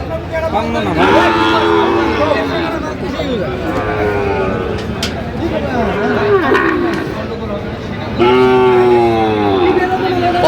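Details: Sahiwal bull calves at a cattle market in Jamalpur, Bangladesh, on 31 August 2025 give a bellowing moo early on, then a louder, longer one near the end, while men talk over prices in the background.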